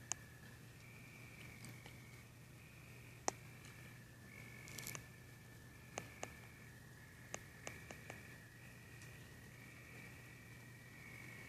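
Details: Two crickets trill continuously at slightly different high pitches, one dropping out and resuming in short segments, beneath sharp scattered ticks and a faint low hum.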